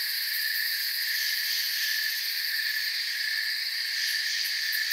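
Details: Many crickets trilling together in a forest, a continuous shrill hum spread over several pitches, a few brighter chirps popping out near the end.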